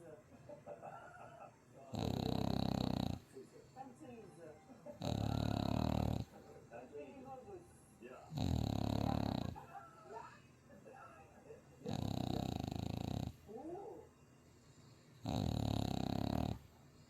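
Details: French Bulldog snoring loudly while asleep after three straight days at a dog cafe in Chuncheon; loud rasping snores about every three seconds, each lasting roughly a second, with soft squeaky breathing noises between them.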